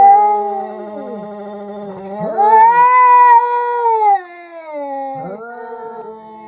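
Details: Two tomcats fighting trade long, wavering yowls that swell into a higher, drawn-out wail before sinking back.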